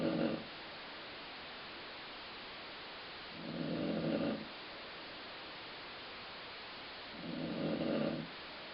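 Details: A sleeping dog snoring indoors, in a rumbling, stomach-growl-like way: three low, throaty snores, each about a second long, repeating roughly every four seconds against quiet room hiss.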